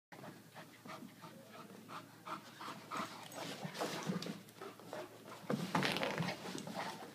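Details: Irish Wolfhound playing with an Aussie-Doodle puppy, with rapid breathy panting in quick, uneven bursts of about four per second that grow louder toward the end.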